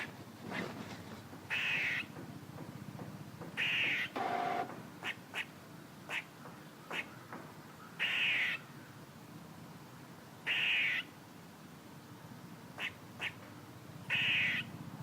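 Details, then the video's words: A squirrel calls repeatedly, mixing brief clipped chucks with harsh, hoarse rasping bursts about half a second long, roughly every two to three seconds, against a constant low hum. "A squirrel making noises"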